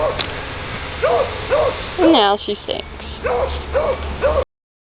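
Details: Muddy female puppy outside giving short, curved barks in a loose series, interrupted midway by a person speaking, then resuming with three more evenly spaced barks.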